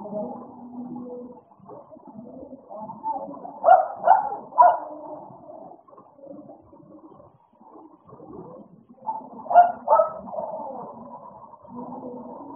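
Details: American Bully dogs playing together: a steady low growling murmur throughout, broken by two bursts of three rapid barks, one near the middle and one toward the end.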